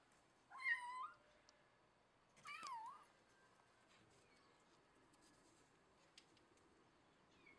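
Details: Domestic cat indoors giving two drawn-out, wavering meows, the first around half a second in, the second near two and a half seconds, each rising then falling with a bending tone; quiet room otherwise.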